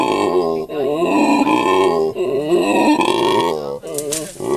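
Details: Howler monkey male in a South African primate sanctuary, his female and offspring beside him, voices a rapid string of throaty, rasping grunts that rise and fall in pitch. Short breaks separate the bursts.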